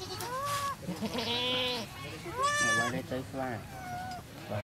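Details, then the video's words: Goat giving birth at a cow farm, a newborn kid just born; several wavering, nasal bleats rise and fall in overlapping bursts through the whole stretch, some high and quavering, with a faint low hum underneath. "Goat Given Birth - Goat produce Baby"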